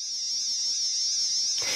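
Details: A single male eastern double drummer, Australia's largest cicada, gives a dense, metallic, electric-saw-like buzz of about 220 pulses per second, modulating and pulsing, to attract females.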